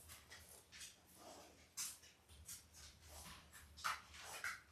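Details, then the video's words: Indoor puppy-cam recording of Belle's litter of eight newborn Labrador Retriever puppies, five days old and born October 15, 2023. Brief high whimpers and squeals come through amid shuffling noises in a quiet room. "5 Day Old Labrador Puppies"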